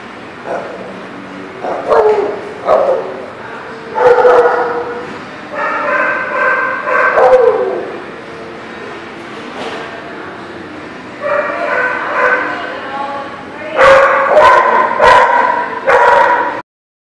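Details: Dog barking at a lot, recorded 1/4/19: repeated harsh, drawn-out barks and yelps in uneven bursts, some long and strained, with a quiet gap mid-way before a final string of loud barks.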